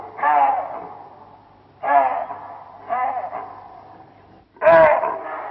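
Loud, coarse barks from a chacma baboon ring out in four distinct bursts, each fading quickly. The calls come at uneven intervals of one to two seconds, with brief quiet between them.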